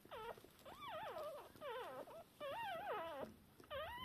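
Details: Shiba Inu puppies a few hours old, still deaf and blind, calling to their mother soon after a litter of three was born. Repeated wavering whines, each rising and dipping, roughly every second, fairly loud over a quiet room.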